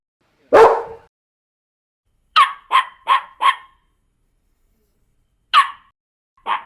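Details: Dogs barking in a varied-breed collection: one deep loud bark, then a higher, sharper dog giving four quick yaps in a row, followed after a pause by two more lone yaps.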